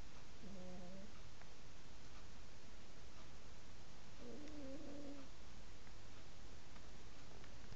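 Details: Pet cat snoring while asleep indoors: faint, steady, tonal wheezes lasting about half a second to a second, returning roughly every three and a half seconds with each breath, over a quiet hiss.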